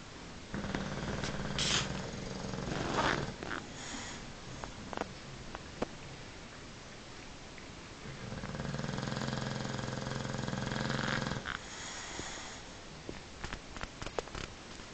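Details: Paul, a bulldog, snoring. Long, raspy, buzzing low drones fill the stretches near the start and again midway, each lasting several seconds. Scattered clicks and rustling sounds fall between them.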